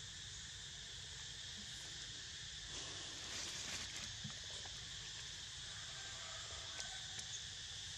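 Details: Sleeping pet with cicadas in the background: an ongoing shrill buzzing drone, broken by scattered sharp clicks and a short burst of rustling noise in the middle.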